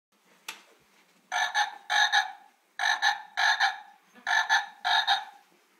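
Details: A frog met at home gives a series of nasal, harmonic croaks in paired pulses, about eight notes in groups of two or three with short gaps, after one sharp click.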